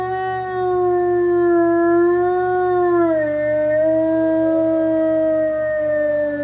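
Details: A captive gray wolf at the enclosure gate facing the retired pack, in cold late March with frozen snow, gives a long, mournful howl, steady then sliding lower and swelling again, linked to care staff leaving his enclosure.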